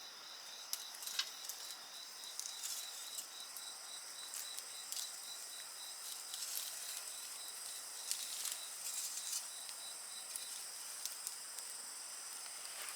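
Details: High insect chorus continues beneath a busy bonfire, with frequent snapping and crackling pops from the burning wood over the steady, shimmering insect trill.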